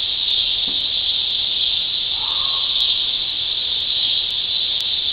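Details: Continuous shrill cicada drone, level and unwavering from start to end, with light periodic clicks overhead and a brief faint lower sweep in the middle.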